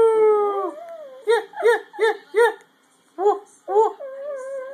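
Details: Scruffy the dog sings: a long falling tone is followed by a run of short, bright yelping notes. They come in quick pairs and triplets with brief silences, and a steady, level tone ends the phrase.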